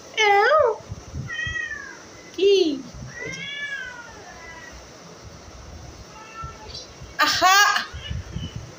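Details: Pet cat in a room repeatedly crying out, each meow a loud bending wail lasting under a second, interspersed with quieter mews and a person's soothing Bengali voice.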